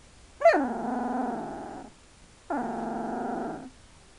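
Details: A 2-week-old Hungarian Vizsla puppy gives two drawn-out, tonal whimpers, each opening with a sharp high note.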